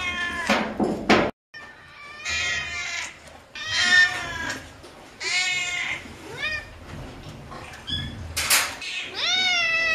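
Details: Busy series of cat meows, some long and tonal, others short and upward-bending, coming in quick succession over faint indoor noise and occasional clattering.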